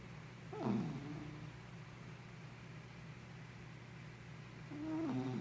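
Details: Henna, a dozing puppy, snores twice; each snore is a nasal whistled squeak that bends downward, heard over a steady low-pitched hum in a quiet room.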